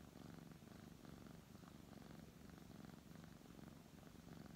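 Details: Brown tabby house cat being petted, purring continuously: a deep, even rumble pulsing about once per second as the cat breathes in and out, quiet and unbroken.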